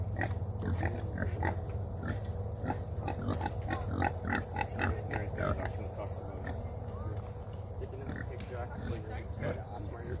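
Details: Kune Kune pig being hand fed, giving quick low grunts and snuffling chews in a steady run of about a hundred a minute, with people talking and a constant high electronic whine behind.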